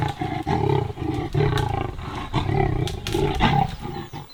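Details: Two leopards snarl and growl harshly at a kill in a thick, deep drainage line, in loud rasping bursts, with a hyena skulking nearby, at Londolozi Game Reserve in summer.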